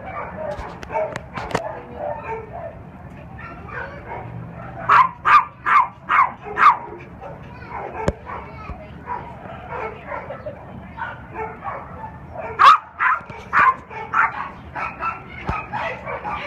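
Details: Three-year-old unaltered male Cairn Terrier and Lhasa Apso mix, black and tan, at an animal shelter: sharp barks in quick runs of four or five, around five to seven seconds and again near thirteen seconds, over a steady background murmur.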